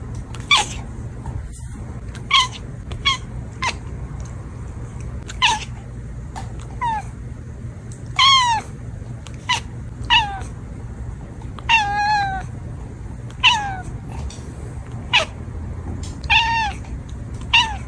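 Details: Domestic cats meowing in a playful compilation: a string of short, bright meows, many bending up then down in pitch, a few drawn out longer, arriving about every second over a faint steady indoor hum.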